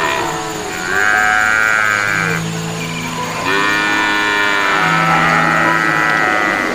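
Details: Brahman cattle, calves and feeder stock, 2022, giving overlapping bawling moos, two long nasal calls with bright upper tones, separated by a short lull, above a continuous low drone.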